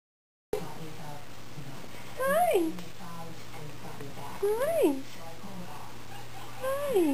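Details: Adopted former stray, a male indoor/outdoor cat that just had its face washed, meowing indoors; three clear drawn-out meows that rise then fall, spaced about two seconds apart, over a steady low hum.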